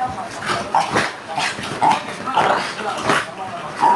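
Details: Caesar, a fox terrier fighting a hole, lets out short harsh growling barks about every half second, broken by snuffling breaths, with a person talking faintly behind.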